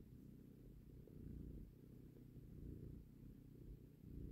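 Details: Mother cat and kitten, the mother taking her baby from a hand. A continuous deep purr pulses in gentle waves, with no other sounds.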